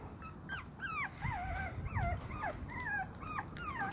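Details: Miniature Pinscher whimpering and whining: a steady run of high, tonal, sliding whines that rise and fall in pitch, about eight in four seconds, over a low background rumble.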